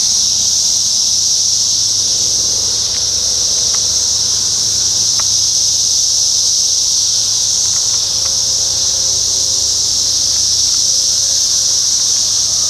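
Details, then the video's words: Periodical cicadas of the 17-year Brood X emergence in Sharonville, Ohio, by a parking lot on June 4, 2021: a dense, steady, high whining drone that holds without a break, with faint scattered clicks beneath. "17 Yr Cicada Brood X"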